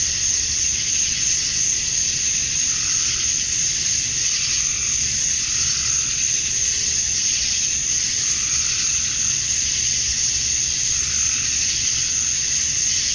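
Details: Male cicadas chorusing at dusk on a summer night in Georgia, USA, calling to attract females; a dense, unbroken high buzzing hiss with a bright steady whine on top, swelling faintly every few seconds, no other sounds.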